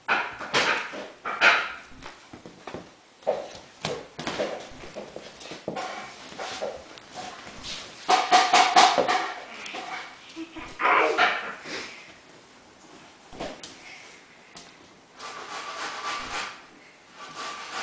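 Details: A two-month-old Samoyed puppy named Richard barking and whimpering indoors in a small room, with short bursts and yelps scattered through the stretch and brief quiet gaps between them.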